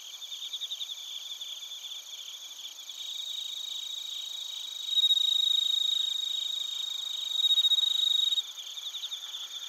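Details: Crickets, including bell crickets, recorded in Narita, Chiba, Japan with a TASCAM Portacapture X8. Fast pulsed high trills fill the background while one nearer insect rings out two loud sustained bell-like bursts midway, each lasting a few seconds.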